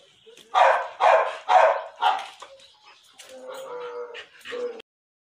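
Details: Pit bull female that has just been through her second heat and mated; four quick barks roughly every half second, then softer tonal whines and rustling toward the end.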